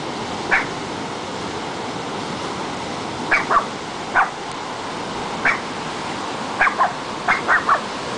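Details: Cairn Terrier at the ocean barking at the waves: scattered single and paired sharp barks over loud, continuous rushing surf.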